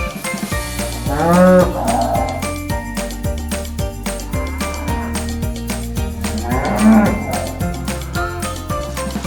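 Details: Cow mooing, said to moo to communicate and express feelings, and more loudly when hungry or wanting attention; two long, deep, drawn-out lowing moos near the start and end, set over bouncy children's music with jingling bells.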